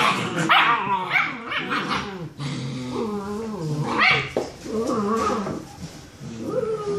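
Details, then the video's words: Young German Shepherd puppies, six weeks old, in their nightly after-dinner play fight; continuous rough growling mixed with wavering whines and high yelps from several littermates, barely a pause throughout. "6 Week Old German Shepherd Puppies Play Fighting"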